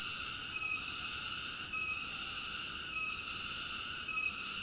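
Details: A cicada keeps up a shrill, level buzz that slackens briefly four times at even intervals. No other sounds.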